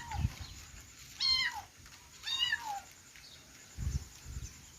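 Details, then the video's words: Two clear high kitten mews, each bending up then falling, follow a short faint squeak, with soft low thumps and handling bumps around them. "cute kitten sound|kittens meowing"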